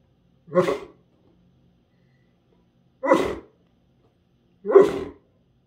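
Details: Great Dane indoors at home, talking to his bone: three short, gruff, breathy woofs, each about half a second long and spaced two seconds apart, with silence between them.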